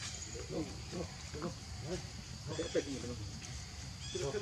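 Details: Baby monkey Leo, hungry and crying as it begs its mother for milk; short tonal whimpering cries with rising and falling pitch, repeated every half second or so over a low rumbling background.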